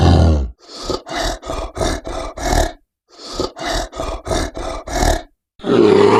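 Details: Grizzly bear giving a rapid series of short, harsh, grunting bursts, about ten in two quick runs separated by a pause, with a longer rough growl at the start and end.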